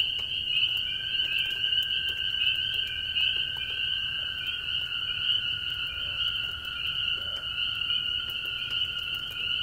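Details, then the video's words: Many very small spring peepers calling in light rain on a farm, clinging to an old barn shovel, with toads trilling; a dense continuous high whistling band and a steady lower trill run throughout, with scattered rain ticks. "Spring Peepers in the Rain on old Barn Shovel"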